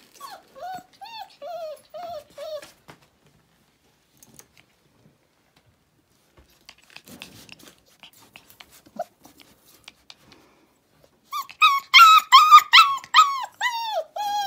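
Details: Four-week-old puppies, litter-box trained, indoors in a small room; a few short whiny calls open, then quiet shuffling, and a burst of rapid high-pitched whimpers and yelps near the end.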